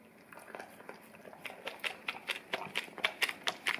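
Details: Male English cream golden retriever indoors licking peanut butter off an Orapup tongue-cleaning brush taped to a tile floor to clean his breath and tongue; wet smacking licks start soft, then grow louder and quicker, about two per second.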